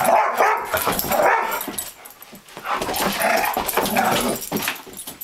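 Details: Two German Shorthaired Pointers, one a three-legged dog, squabbling in play over a squeaky toy duck: rapid, uneven bursts of mid-pitched barks and yips with rough growly edges, tumbling over each other in quick succession.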